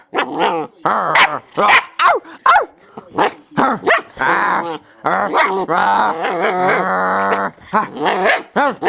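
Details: German Shepherd puppy play-attacking: a rapid, nearly continuous string of short yips and growly barks, each sliding up and down in pitch, with a longer steady whining growl held near the seventh second.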